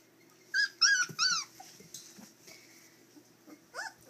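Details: Three-week-old puppies at play indoors: three quick high, whiny yelps in close succession, each bending downward, then a quiet stretch and one more short whimper near the end over a low steady hum.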